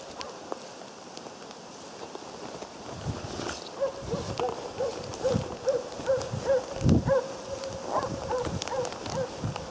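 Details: Jämthund Otis on a moose hunt, giving a long run of rapid, evenly spaced ringing barks, roughly two to three per second, steady in pitch, with rain-like hiss and rustling underneath.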